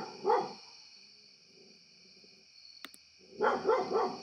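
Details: A pet domestic dog barks into a computer sound recorder, a single sharp bark at the start, then a quick run of three barks near the end. A steady high electronic whine runs throughout, with a click in the quiet middle.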